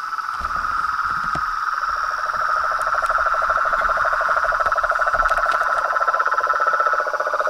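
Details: Chorus of frogs, toads and treefrogs in Brazil, a dense continuous mass of rapid pulsed trilling at two pitch levels with a thin high hiss above, the lower trill growing stronger midway. Faint clicks scattered throughout.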